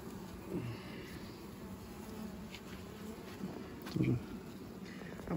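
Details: Western honey bees of a very populous colony that wants to swarm, heard during a May hive inspection; steady low droning hum throughout, with a few brief clicks and handling noises.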